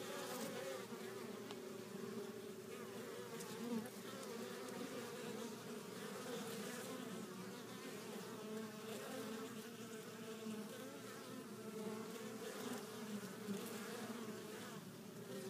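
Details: Many honey bees flying back into a hive carrying pollen in several colors; a constant, even buzzing drone of overlapping wingbeats fills the whole recording with little variation.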